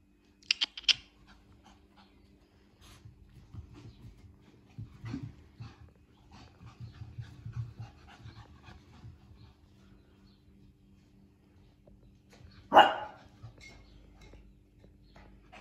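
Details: Pomeranian panting in soft, irregular short breaths, with a few brief clicks early on and a sudden loud burst near the end, over a steady low background hum.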